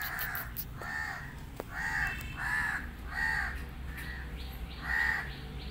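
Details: Male kitten, once abandoned and now happy with his new family, meows insistently: about seven bright, arched cries, each roughly half a second long, repeated steadily over a low indoor hum.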